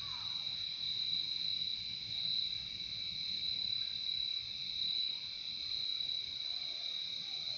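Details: Crickets singing together outdoors, producing a steady, high, ringing trill that pulses gently every second or so, with a brief faint sliding note at the start and little else.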